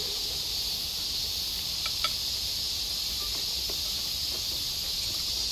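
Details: Many cicadas in a Japanese backyard sing together in a steady, high buzzing drone, with a few faint bird chirps, on a cool, overcast day as rain threatens.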